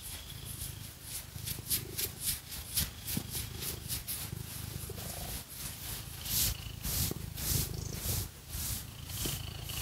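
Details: Cat purring during a scratching massage with fake nails; a deep steady purr sits beneath loud, quick, rhythmic scratching strokes repeating about twice a second, no speech.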